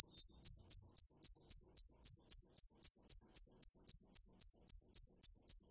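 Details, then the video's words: Steady cricket chirping: shrill, ringing pulses repeated regularly just under four times per second, loud and close, with nothing else heard. "Tiếng dế mèn hay nhất 2017"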